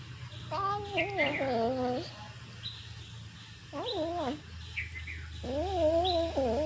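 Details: Cat eating fish and making noise: three wavering, whiny meows that bend up and down, each about one to one and a half seconds long, over a steady low hum.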